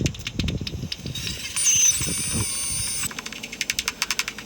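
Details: Soprano pipistrelle (Pipistrellus pygmaeus) at night, echolocating at about 55 kHz while foraging along a line of trees around an old ash and sycamores; slowed by a bat detector into rapid, dry plucking clicks in quick regular bursts to locate prey.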